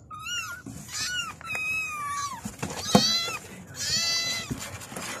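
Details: Kittens meowing as they call their mother: several high, thin, harmonic cries, some falling and some arched, overlapping in quick succession with brief gaps between them.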